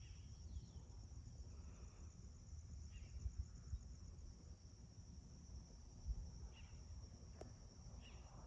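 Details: Crickets at sunrise around a home in Magma Ranch, Florence, Arizona, in August 2021: a steady, high, finely pulsing trill runs throughout, with a few faint short bird chirps over a constant low background rumble.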